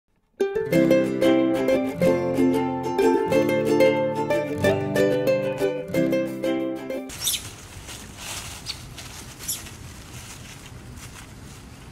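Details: Bright plucked ukulele-like music plays for about seven seconds, then gives way to a steady hiss of broadband noise with faint rustles.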